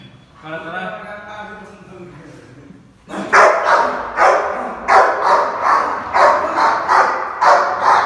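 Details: Food-aggressive Rottweiler in India: a person talks for about three seconds, then the dog breaks into a steady run of harsh, growling barks, roughly two per second.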